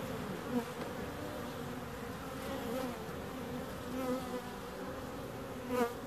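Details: Bees humming in a steady, low droning buzz, several overlapping wavering tones rising and falling in pitch, with brief louder passes as a bee flies close near the start and again toward the end; no other sounds stand out.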